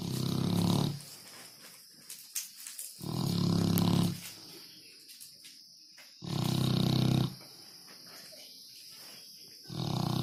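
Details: Sleeping dog snoring: deep, rasping low snores about a second long, one every three seconds or so, quiet pauses between breaths.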